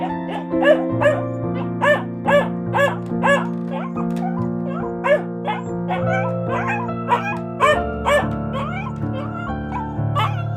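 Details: A dog gives a quick run of short, high yelping barks, roughly two per second and unevenly spaced, over continuous piano music.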